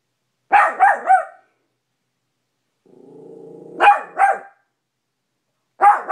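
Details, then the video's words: Small Maltipoo dog indoors in a bedroom, barking at his own reflection after discovering it in the mirror: bursts of two or three sharp yappy barks, with a low rumbling growl between the first and second bursts. "maltipoo barking at mirror"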